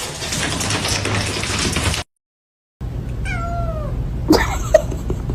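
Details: Domestic cat producing one clear drawn-out meow that slides downward in pitch, following a stretch of steady background noise and a silent break, then a couple of sharp clicks and a brief chirp-like sound.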